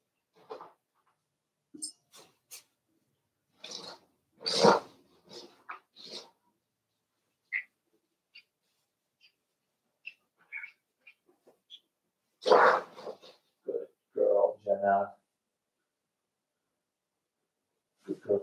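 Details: Cavalier King Charles Spaniel puppies playing together indoors in a home puppy pen, raised by a breeder; scattered snuffles, a sneeze and short squeaky whines, then a louder run of harmonic yelping whimpers, with rustling between bursts.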